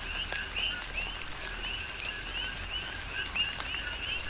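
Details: Coqui frogs calling in a tropical rain shower on the Big Island of Hawaii: high, short, upswept whistled notes repeat every half second or so over a steadier lower tone, with soft rain patter and scattered drips.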